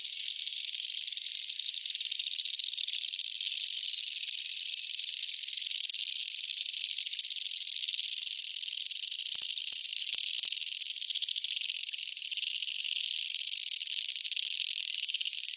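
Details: Dolphins off Bahía Solano, Colombia, produce a steady, dense crackle of clicks like a shaken rattle, with faint, high, bird-like whistles rising above the clicking in places.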